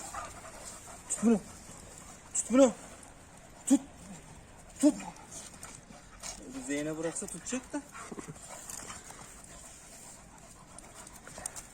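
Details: American Pit Bull Terrier dogs playing with their playmates indoors: short high whimpering yelps that rise and fall, about every second, then a longer wavering whine, with people talking throughout.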